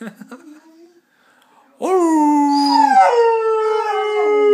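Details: Saluki kept as a pet, howling: faint whining at first, a pause, then a loud rising howl that holds steady, climbs briefly and settles into a long wavering tone.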